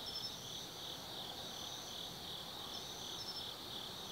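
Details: Autumn insects singing at night in the Tsukimi no Mori forest, Kaizu, Gifu, Japan, heard from a lookout 180 m above the Nobi Plain: a steady, high, pulsing chirr with a brief higher trill near the start and again after three seconds.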